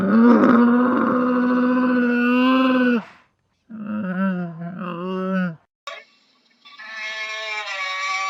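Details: Camel vocalizing, a sound called blaterar in Portuguese: a long, steady, harmonic groan lasting about three seconds, then a shorter wavering moan, a brief break, and another drawn-out nasal bellow.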